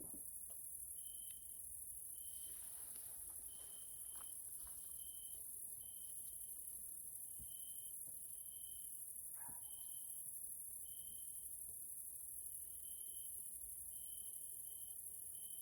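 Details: Grasshoppers (Caelifera) in a nature area in Hungary, Central Europe, in the evening: a steady, very high-pitched insect hiss runs throughout, while short, pure whistled notes repeat roughly every second, with a few faint low knocks.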